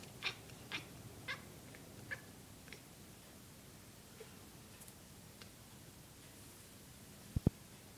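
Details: House cat at a window watching small birds, letting out a handful of short squeaky chirps over the first three seconds, then near silence broken by a sharp knock near the end.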